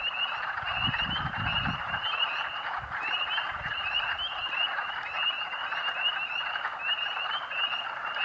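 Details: Thousands of spring peepers calling in March at Rothrock State Forest, Pennsylvania; a continuous shrill chorus of high rising peeps layered over a broad hiss of distant callers, with a few low thumps early on.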